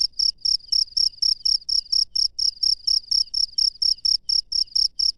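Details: Night-time chirp of a wild cricket: high, ringing pulses evenly spaced about twice a second, about ten chirps in quick succession, no other animals audible.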